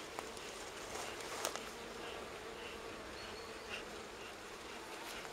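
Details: Wild honey bee colony near Kiev, Ukraine, its four-comb nest on a fallen tree being moved into an apiary hive; even, droning buzz of many bees, with a few sharp clicks and knocks.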